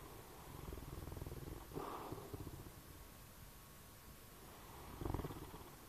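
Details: Sleeping bloodhound snoring indoors: low, rumbling breathy snores, one drawn-out stretch early on and another strong snort-like breath about four seconds later, with quiet breathing and a faint steady hum between.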